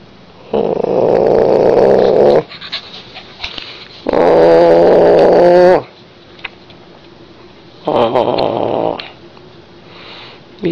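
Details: A pet Siberian Husky, Nikki, gives long, drawn-out moaning calls, like husky 'talking', seemingly trying to tell her owner something while getting her belly rubbed.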